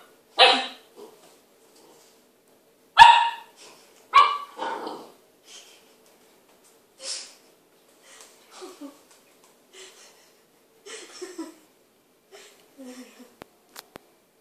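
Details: Dogs in a kitchen as Maya, an Irish Setter, meets Toffee, a new puppy: three loud harsh barks in the first five seconds, then softer scattered yips and short barks trailing off over the remaining seconds.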